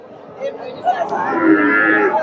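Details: Desi cow with a bull calf, a slight Sahiwal cross, at the Dakumara cattle market in Bogura, Bangladesh; a long, loud, wavering low moo swells over the last second and a half amid people talking at the market.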